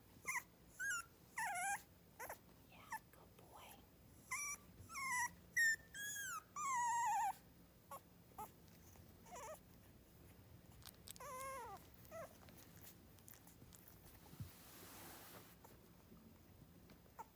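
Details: Miniature schnauzer puppies, three weeks old, at a breeder near Radisson, Saskatchewan, give rapid bursts of squeaky, wavering whines that swoop up and down in pitch, crowded together for seven seconds, then thinning to scattered quieter cries and shuffling.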